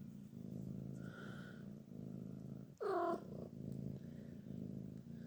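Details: A grumpy Sphynx cat purrs steadily, breaking off once for a short, loud, grumbling meow.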